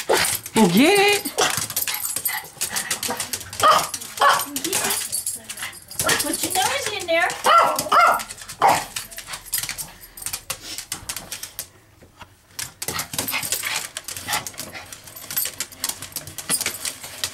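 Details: Domestic dog asking for a treat: bursts of barks and drawn-out whining in the first half, then quieter scuffling, while a person talks to it indoors.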